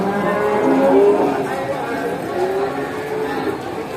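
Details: Farm cows herded back to the barn, calling to one another; a thick, blurred mass of overlapping lowing, loudest around the first second, with no single call standing clearly apart.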